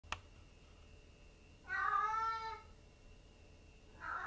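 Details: Brown Maine Coon cat aged one year two months, kept at a cattery in Tokyo, Japan, gives one clear drawn-out meow lasting about a second, then begins a second meow at the end; a faint steady indoor hum underneath.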